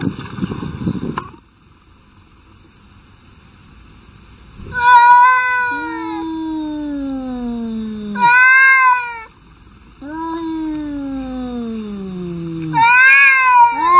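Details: Two domestic cats arguing: a low, slowly falling growl-like moan drawn out for seconds, answered by sharp high yowls, the exchange repeating twice, with a burst of scuffling at the start.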